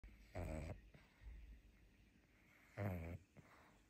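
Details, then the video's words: Pangpang the pug, sleepy after a fun day out and fighting to stay awake indoors, gives two short, low, rasping snorting breaths about two and a half seconds apart, with quiet room hush between them. "Watch Pangpang The Pug's Sleepy Struggle!"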